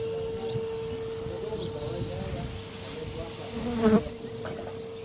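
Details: Western honey bees (Apis mellifera) from a large live colony in a chimney in Shropshire, being removed and relocated, give a steady, even buzzing drone with a brief louder flare near the end.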